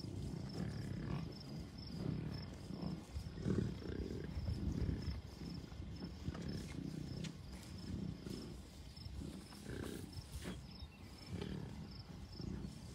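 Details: American bison at Rocky Mountain Arsenal Wildlife Refuge north of Denver, Colorado, June 2, 2022, a herd of cows, few bulls and many calves; low, throaty grunting bursts come every second or so amid wind rumble and a thin high tone.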